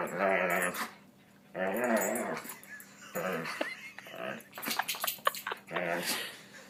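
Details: Dog making strange noises: two long, wobbling, tonal moans, then a cluster of sharp clicks and snorts and a final short warbling cry.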